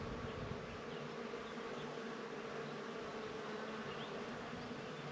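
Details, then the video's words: Bees at flowers give a continuous, even drone, a smooth low buzz without breaks over a soft background hiss. "Des fleurs et des abeilles"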